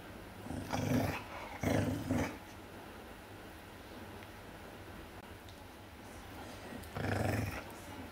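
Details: A bigger dog guarding its bone from a smaller dog that wants it, giving low rumbling growls in three short bursts, then a longer growl near the end, with quiet pauses between.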